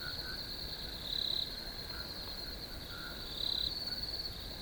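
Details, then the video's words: Crickets outdoors give a continuous high ringing trill, swelling into two louder chirping bursts about two seconds apart, with faint lower chirps in the background. "RELAX TO THE SOUNDS OF NATURE CRICKETS"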